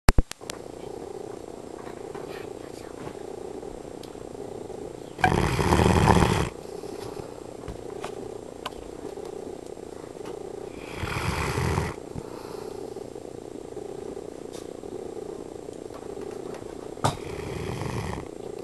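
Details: A female pet dog snoring in her sleep: loud rasping breathy snores about every six seconds over a constant low hum, with quieter breathing between them.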